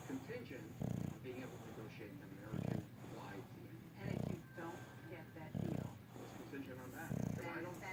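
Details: Levi, a tired English bulldog, sleeps and snores: low, rasping snores swell and fade about every one and a half seconds, five in the stretch, over a soft steady room murmur.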